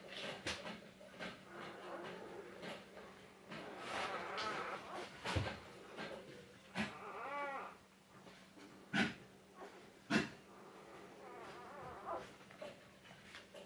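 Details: Three Cardigan Welsh Corgis together: high wavering whines with shifting pitch, swelling near the middle, then two short sharp barks a second apart, with scattered lighter yelps and a steady low hum beneath.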